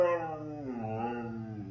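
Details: Siberian Husky named Moon talking back during an argument at home; a drawn-out, wavering howl-like vocalization with rich harmonics, pitch sliding downward then rising slightly over nearly two seconds.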